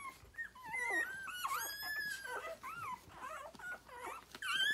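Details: Nursing Rhodesian Ridgeback litter at six days old, born 9/3/2020; continuous overlapping whines and squeals, many bending up then down, several pups calling at once and fairly loud throughout.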